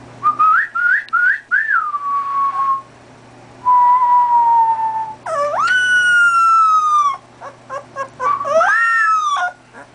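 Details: Male golden retriever puppy, two and a half weeks old, howling in response to a person's whistling. Short rising whistled notes and a long falling whistle come first, then two drawn-out, high, harmonic-rich howls, with whistling in between.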